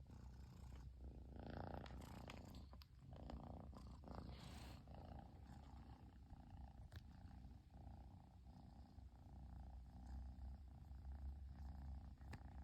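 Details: After its owner finally got home, a Persian kitten keeps purring; an unbroken low vibrating drone fills the recording, with rustling and handling noises during the first few seconds.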